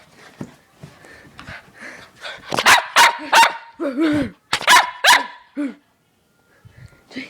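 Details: Pet dog Joy barks excitedly during play with a laser: a quick run of loud, clipped barks in the middle, with a few soft tonal whines and quiet human speech before and after.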